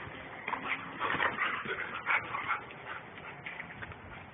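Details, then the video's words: Two German Shepherds playing hard; a run of high whining whimpers and short yips, several close together around the middle, over a steady background hiss. "The German Shepherds Playing Hard"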